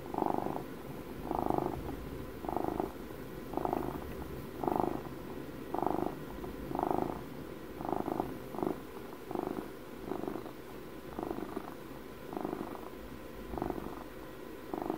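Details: House cat aged twelve purring steadily in close ASMR recording, a low rumbling buzz pulsing roughly once a second, about fourteen even breaths, each pulse swelling and fading, quiet background.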